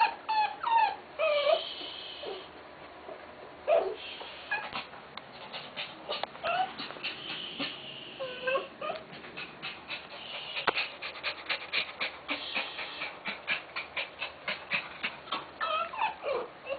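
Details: Tenterfield Terrier female giving birth in Japan; high thin squeaks and whimpers from the newborn litter, short rising and falling peeps scattered through, growing into rapid repeated squeals near the end.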